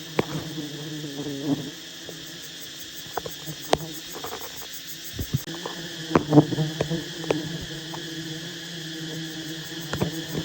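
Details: A constant deep hum comes from a giant wild honey bee colony as honey hunters work the hive, with frequent crackling taps and thuds over the drone.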